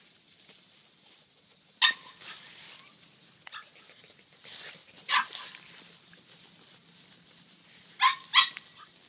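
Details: Four Hokkaido Ken puppies, two white, one brindle and one black and tan, kept at a house, give a few short, sharp high yips at irregular intervals, some in quick pairs, against a quiet background.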